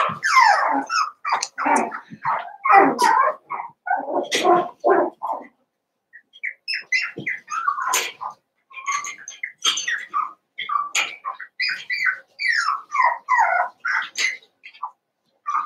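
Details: Cavalier King Charles Spaniel puppies, a litter of six merged with two pups from another litter, eight together at play: dense overlapping high whimpers and yelps for about five seconds, a brief lull, then steady squeaky cries resume.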